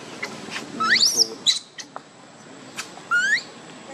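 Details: Hungry baby monkey Leo begs its mother for milk with sharp, rising whistled squeals: one cluster around the first second, another later, with soft taps and clicks in between.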